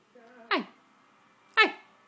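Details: A one-year-old Shih Tzu that loves to talk and bark gives two short, high yapping barks about a second apart when prompted by its owner.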